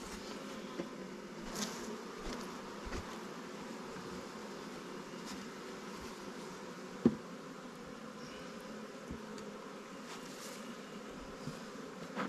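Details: Honey bees from newly captured swarms in an apiary with Langstroth and Warre hives, as stronger hives lend resources: a steady, even colony hum through the whole stretch, broken by a few sharp clicks and one louder tap.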